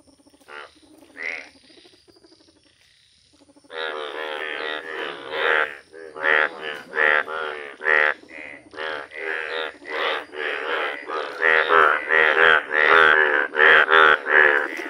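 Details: Yellow Indian bullfrog calling in nature: a few scattered croaks, a pause, then a long run of loud, harsh, nasal croaks repeated roughly every half second, with fainter callers overlapping in the background.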